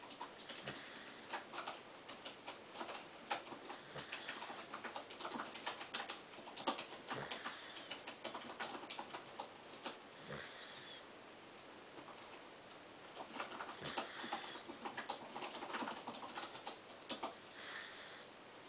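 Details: Sleeping pet dog Chibichibi snores indoors, each breath a hissy, wheezy burst recurring about every three seconds, while rapid keyboard typing clatters steadily between and over the snores.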